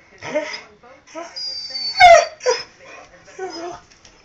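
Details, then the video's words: Dust the talking dog makes short, broken, speech-like whines and yelps. A sharp, loud squeal comes in the middle, then softer wavering moans follow. "Dust talking dog!!!!!!!"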